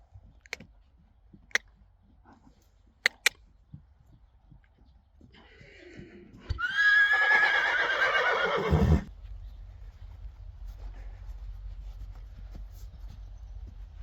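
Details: Friesian horse during a first lunging session, letting out a long, quavering, falling whinny of about three seconds after scattered hoof knocks and clicks.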